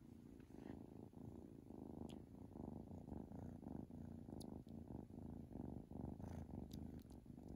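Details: Colin Robinson, a Domestic Shorthair cat available for adoption, purrs in a low, steady rumbling pulse that swells and fades with each breath, with a few faint clicks over the top.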